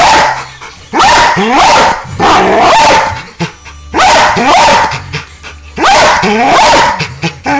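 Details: Pit Bulls almost fighting over a laser pointer, giving loud harsh barks and rising whining yelps in repeated bursts roughly every one to two seconds, with a steady tonal hum in the background.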